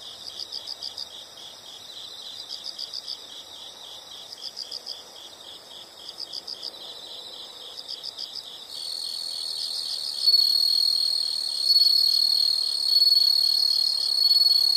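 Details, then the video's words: Insect sound for study or sleep: bursts of quick high chirps roughly every second and a half over a constant trill, then a louder continuous high buzz takes over for the final third. "the sound of insects"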